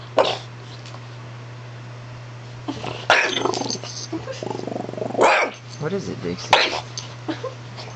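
A French Bulldog gives sharp, breathy barks between low, rumbling grumbles, with human voices nearby.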